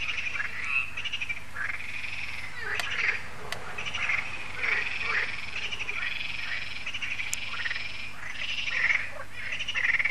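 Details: Dense frog chorus at Lac de Sabatte, France, on an evening when solar lights come on: many overlapping rattling croaks form an unbroken wall of sound over a steady low hum.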